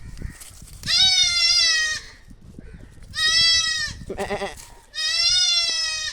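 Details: Young goats bleat in long, quavering, nasal calls repeated every couple of seconds, while a puppy hears them for the first time.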